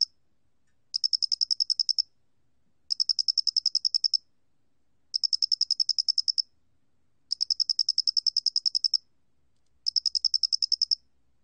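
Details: Square-headed cricket recorded in 2020 by the National Institute of Biological Resources: five regular trains of quick metallic pulses, each roughly a second long, spaced about two seconds apart, on a clean, silent background.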